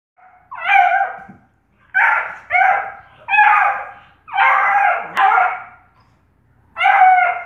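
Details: Bluetick Coonhound puppy named Reggie, playing with the cats: a run of high, yelping barks and yips in short bursts, some drawn out and whiny, coming in quick pairs with brief silences between.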